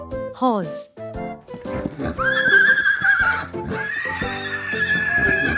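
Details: Horse neighing among farm animals presented for children: a long, wavering, high whinny with a quavering tremble, held for several seconds over a steady background of children's music.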